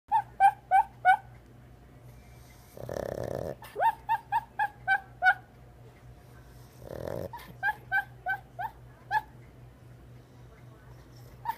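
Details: Lola, a sleeping pet dog, dreaming: bursts of short, high, rising whimpering yips in quick series, broken twice by a breathy, rasping snore, over a low steady hum.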